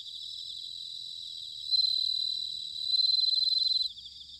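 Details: Autumn bell cricket song from Sanuki, Chiba, Japan, made with a field recorder: a steady chorus of high chirping gives way to two strong ringing trills about a second long, then softens again.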